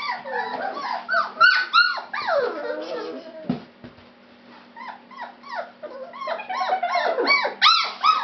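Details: A litter of fawn Labrador Retriever puppies whimpers with loud, sliding whines that arch up and drop, crowded together, then briefly quiet before a fresh burst of shorter yips.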